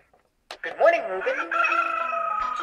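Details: Mabel the hound singing along to an alarm clock that sings "Wake Up, Reuben": after a short silence a rich, harmonic howl swoops upward, then holds a long, steady, slightly wavering note to the end.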